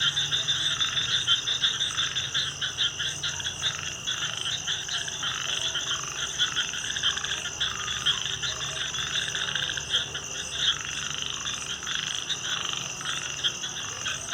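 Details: Frogs calling at night in a dense chorus of rapid, rattling croaks that pulse continuously and overlap. A steady high, shrill insect-like drone runs throughout.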